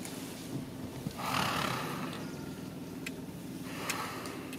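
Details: Indian gaur bull in BR Hills, India, roaring during mating season, recorded early morning on 18 November 2018. A harsh, breathy blast lasts under a second, then a fainter second burst follows over a constant low hum.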